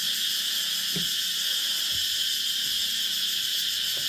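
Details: High, hissing, pulsed insect chorus at dusk on Nang Yuan Island, steady and unbroken, with a couple of faint low knocks underneath.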